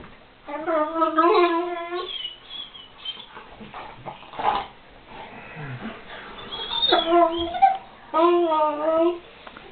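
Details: Weimaraner friends Ayva and Fleur, both females, at play; long wavering harmonic whine-howls sound in two-second bouts separated by quieter grumbling and soft thumps, apparently indoors.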